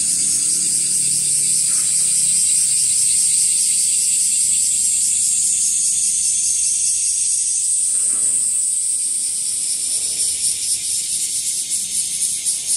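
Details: Bear cicada, known locally as washi-washi, growing in numbers and singing from trees and grassy places: a loud, harsh, high buzzing made of rapid pulses about four per second. It runs unbroken for the whole stretch, with a faint low rumble beneath.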